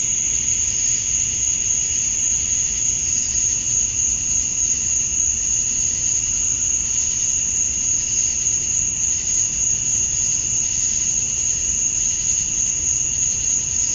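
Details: Male cicadas on a Georgia, USA summer night at dusk, chirping for females: a dense, unwavering shrill hiss-like drone, gently pulsing in texture but never breaking, over a quiet low rumble.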